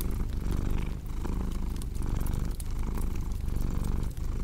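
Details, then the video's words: Deep continuous cat purr throbbing in rhythmic waves, set against a cozy fireplace crackle with scattered bright snaps. "Purring Cat with Cozy Crackling Fireplace Sound"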